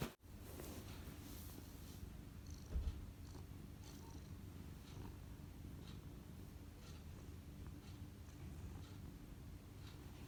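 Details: Cat purring as it kneads, a steady low buzzing rumble after a brief knock at the start, with soft intermittent ticks over the drone.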